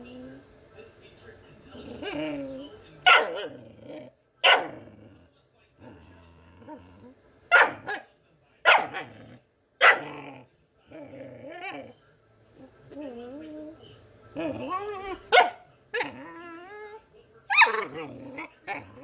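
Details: A pet dog making funny noises: loud sharp barks every second or two, mixed with wavering, whining yowls and growly grumbles that bend up and down in pitch.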